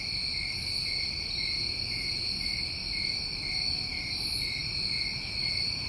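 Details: Summer crickets in New England trill without pause in a dense, even, high-pitched drone. Brief, faint shimmering bursts rise above it now and then, and a soft low rumble sits underneath.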